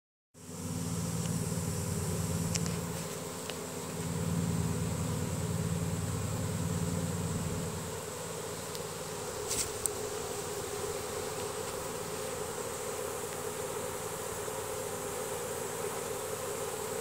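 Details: Honey bee swarm entering a new hive box after the queen goes in, bees marching inside as they release Nasanov pheromone: dense continuous droning hum with a strong low band for the first eight seconds, then a steadier, softer buzz.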